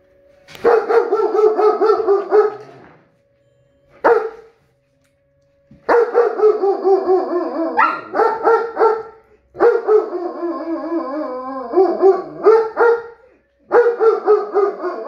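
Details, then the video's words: German Shepherd reacting to tornado sirens, giving long bursts of rapid, wavering, harmonic yelping howls lasting one to three seconds, separated by short silences, with a faint steady tone underneath. "German Shepherd vs. Tornado Sirens"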